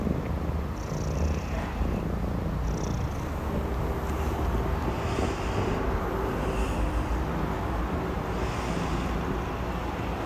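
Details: A Maine Coon kitten named Richie, six months old, purrs steadily while being washed by his father Amur. The deep, even rumble carries on without a break, with faint intermittent rustles above it.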